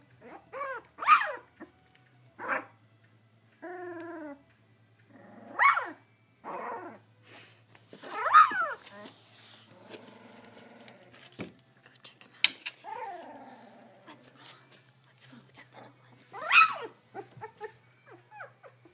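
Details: Female Labrador Retriever puppy practising her barking: about five sharp, high, bright barks spread across the stretch, a short run of whiny stacked yelps near the start, and some rougher, growly low notes between them in a quiet room.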